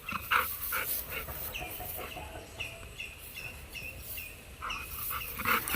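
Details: Labrador Retriever named Golden, a pet dog, outdoors in a rural setting; short rough bark bursts repeat about every half second, with breathy panting between, a faint repeated whistled note in the background, and people talking nearby.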